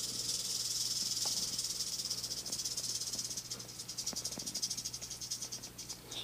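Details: Tame captive-born female western diamondback rattlesnake, about three years old and three to three and a half feet long, curious in her cage; a steady high-pitched rattling buzz, breaking into rapid pulsed ticks toward the end, over a low hum.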